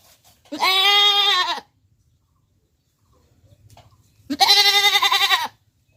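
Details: A goat in Pakistan gives two loud, wavering bleats, each about a second long, with a quiet pause between them.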